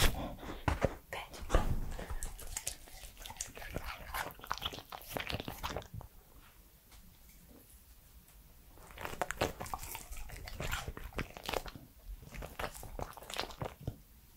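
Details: Close-up mouth and chewing noises from a three-year-old male Pembroke Welsh Corgi: bursts of wet clicks and crunches, then a quiet gap of about three seconds, then another long run of smacking and crunching.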